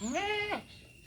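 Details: One of three castrated male goats at Mahilara village in Gournadi, Barisal, Bangladesh, bleating once for about half a second: a nasal, harmonic cry that sweeps upward, holds, and then drops off abruptly into quiet.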